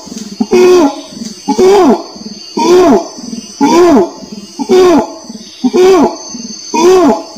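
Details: Orangutan calling with a series of loud, low, hooting cries about once a second. Each cry swoops up then falls in pitch and carries a rough, resonant quality. A steady high hiss sits in the background.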